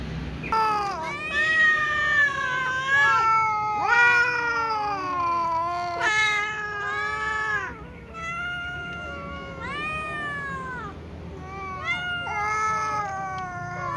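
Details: Domestic cats gathered before a meal, a little cat meowing insistently: loud, harmonic-rich meows about a second long, nearly back to back, each arching up then sliding down, some overlapping, with low background hum.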